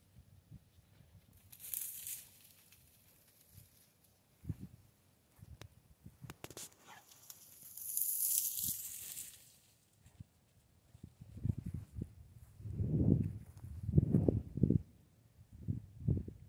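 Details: Central Asian Shepherd at play: early on, scattered rustling and tearing noises, then in the last five seconds a run of short, low, rough growling bursts, close together and uneven in rhythm.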